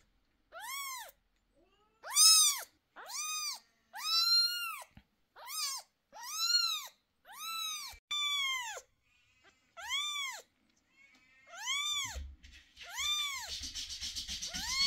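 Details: Cat screaming during eye treatment of 11-day-old kittens with sore eyes; a steady series of about twelve high, arching meow-like wails roughly once per second, some harsher and louder, ending over rustling and handling noise.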